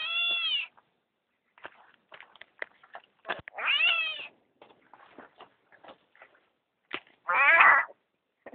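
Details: Disturbed driveway frog giving angry, cat-like screams: three loud wavering wails about three seconds apart, each rising then falling, with soft clicks and handling noise between them.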